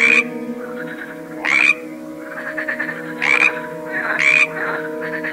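Frogs give short, bright croaks with a rising whistled edge, repeated every second or so.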